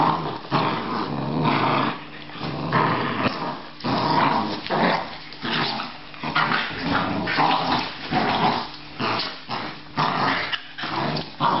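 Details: Australian Terrier rumbling and snarling in repeated rough pulses, some with yappy edges, sustained for nearly twelve seconds with short gaps between bursts.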